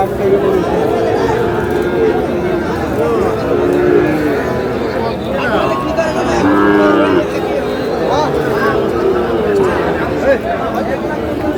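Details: Sahiwal bull calves at a busy livestock market in Bangladesh on 18 June, with a farmer from Noakhali buying; several overlapping low, drawn-out moos rise and fall through steady crowd chatter and men talking.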